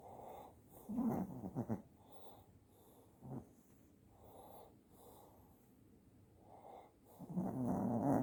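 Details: A sleeping Shih Tzu snores in soft, rasping bursts that rise and fall with each breath.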